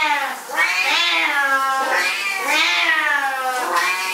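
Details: Two Siamese cats going berserk indoors while their owner showers; long, loud, wavering yowls with rich harmonics, each swelling and bending in pitch, running almost continuously over four seconds.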